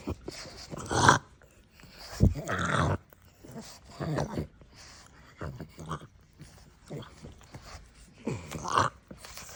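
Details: A pug making its regular snorting, snuffling and grumbling sounds indoors: bursts of rough, breathy snorts and low grumbles come in irregular clusters separated by short pauses.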